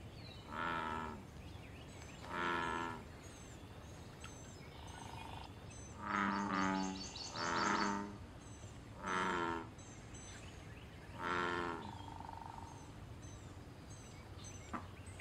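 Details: Wild American bullfrog calling in a pond during mating and territorial activity: deep, harmonic, droning croaks, each under a second long, given six times at irregular intervals of one to three seconds, with faint high bird chirps behind.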